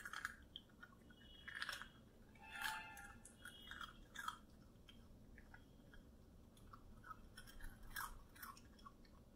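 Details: Three-month-old male Yorkshire terrier puppy eating a rusk, making crunching chewing sounds: sharp crisp crunches in clusters separated by quiet pauses, indoors.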